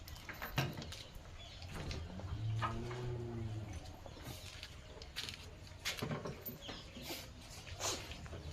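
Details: Gir cattle among a herd of cows and heifer calves offered for sale: a low, drawn-out harmonic moo swells and fades over roughly two seconds, surrounded by clicks, rustling and faint farmyard noise.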